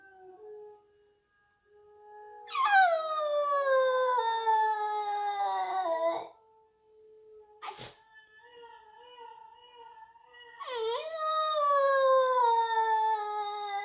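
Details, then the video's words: A Boxer puppy howls along to a video of another puppy howling that plays in the background. It gives long, high howls that slide slowly downward, with the video's fainter howling underneath. "Boxer puppy Gizmo howls"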